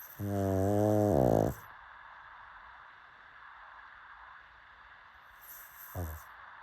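A pug snores with a long, low, buzzing rattle, then a brief second snort.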